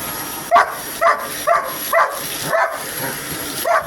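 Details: Pet dog Hogan Bogan barks at a vacuum cleaner, giving about seven short, bright barks spaced around half a second apart against a thin constant high-pitched hum.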